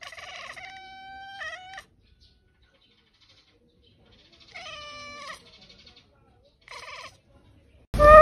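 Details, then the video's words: Domestic cat giving a series of meows: a long level one, a short upturned one, a wavering one and a brief final one, separated by silence, ending with a sudden loud noise. "Cats on Douyin meowing and purring"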